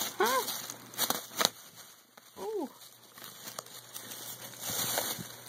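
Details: Tiger, a male pet cat caught inside a bag and playing with his people through it, gives two short arched meows about two seconds apart amid crinkling and rustling of the bag.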